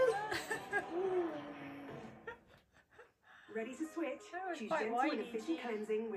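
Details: A husky hums and talks in wavering, sliding tones that rise and fall like a little tune, seemingly asking how the family is.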